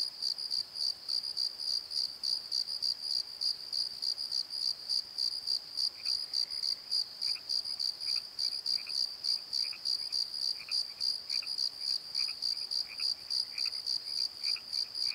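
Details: Night chorus of crickets in a valley bottom: rapid, even high chirps repeating about three times a second throughout, joined from the middle onward by a softer, lower series of short chirping notes from another caller.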